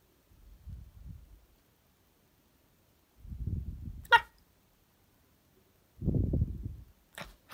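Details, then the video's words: Chipin puppy, a Chihuahua and miniature pinscher cross living on a farm in Indiana, indoors. Three low, rumbling grumbles spaced a few seconds apart, with a sharp click near the middle. "puppy has something to say"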